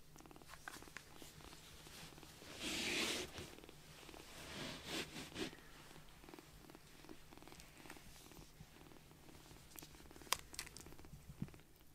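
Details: Tiny rescued foster kitten purring contentedly on a caregiver's palm after a milk feeding, a soft, steady rumbling pulse running under the whole stretch, with a brief louder hiss of handling noise near the start and faint rustling indoors.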